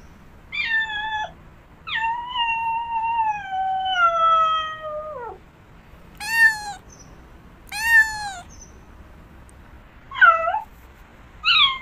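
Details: Domestic cat meowing: a short meow, then a long drawn-out wavering meow sliding downward, followed by several shorter arched meows spaced about two seconds apart, clean harmonic tones over a quiet background.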